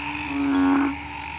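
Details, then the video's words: One loud sustained low drone from a frog hidden in grass, a garden at night after rain, holding a steady pitch for about half a second before fading into a constant chorus hum. "เสียงอึ่งอ่าง เขียด ร้องระงม"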